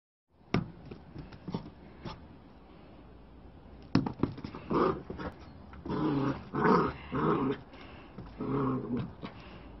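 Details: A fluffy black-and-white Bearded Collie puppy, bouncing and playing fetch with a ball, gives low, rumbling growls in short bursts, with thumps and knocks early on.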